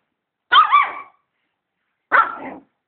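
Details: Dog barking at a vacuum cleaner: two loud, ringing, slightly wavering barks about one and a half seconds apart, with silence around them.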